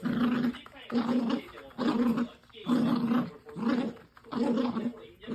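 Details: Dog playing tug and producing a strange, throaty growling noise, a series of six rhythmic low rumbling bursts close to one per second, each rough and buzzy, separated by brief quiet pauses.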